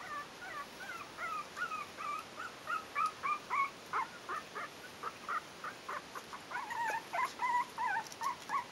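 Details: Litter "A" of Yorkshire terrier puppies, four weeks old, at the Stellar Garden kennel: rapid chorus of short high yelps and whines, roughly three per second, overlapping pups squealing over steady hiss.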